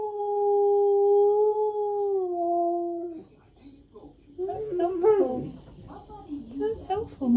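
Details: Male husky singing to himself, holding one steady, mellow howled note for about three seconds that dips slightly at its close, followed by a person's voice and rustling.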